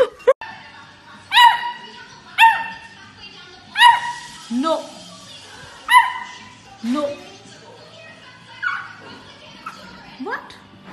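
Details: Beagle puppy giving a series of sharp, high yelping barks, roughly one every second or so, each with a slight falling tone, while background music and a person's voice run underneath.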